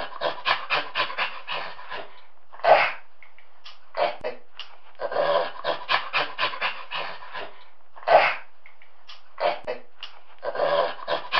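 A chimpanzee gives rapid, breathy pant-like grunts broken by a few sharper hoots.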